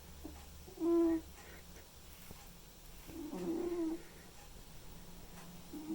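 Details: Sleeping white and ginger male cat snoring: brief squeaky whistle-like breath, then a longer, rougher wheezing snore a couple of seconds later, and a third beginning at the close, with low background hum.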